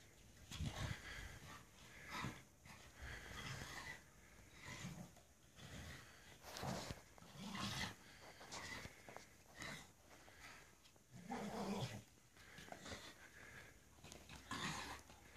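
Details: A Staffordshire Bull Terrier playing in the snow makes bursts of low grunts, snorts and huffing breaths.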